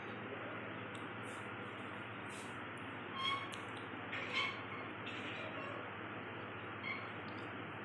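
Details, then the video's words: Pet cats Bintu and Chintu making noises while trying to catch paper: two brief, tonal meow-like calls about a second apart, plus a fainter one later, over a constant loud hissing background noise. "bintu chintu making noises to catch paper"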